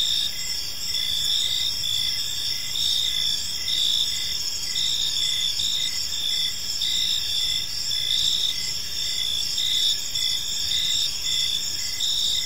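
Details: Crickets chirping on an evening in a park: a steady high-pitched shimmering chorus with pulsed trills layered around several pitches, continuous and dense, over faint low background rumble.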